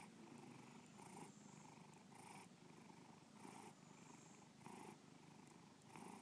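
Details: Purring from Bubba the pet cat: a coarse, vibrating low hum that swells and eases in a breathing rhythm, about one brighter pulse per second, nothing else audible.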